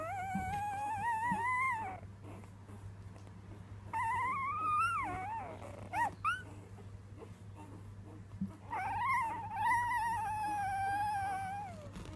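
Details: A three-day-old female Weimaraner puppy, singing for the first time, gives drawn-out, wavering howls that rise and fall in pitch.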